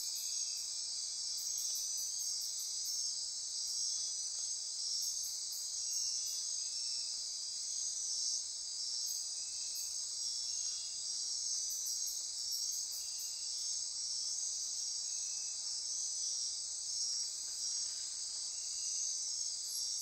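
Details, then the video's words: Midnight rainforest insects on the Osa Peninsula, Costa Rica, near Corcovado National Park: a constant shrill buzzing chorus with layered trills, plus bursts of very high rapid pulsing ticks recurring in groups across the recording. "Midnight Insect Chorus"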